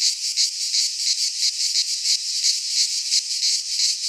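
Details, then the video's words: Greek pine-forest cicadas in midsummer produce a bright, sizzling buzz, pulsing in rapid even throbs near three per second, continuous and loud, with no birds, wind or voices heard. "Cicadas singing in midsummer - Nature sounds from the Greek fauna - Sounds of cicadas"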